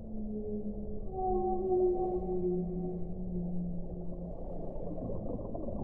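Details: Whale vocalizing in long, smooth tones, several layered pitches sliding gently downward and overlapping for about four seconds before fading into a dense low rumble of water noise.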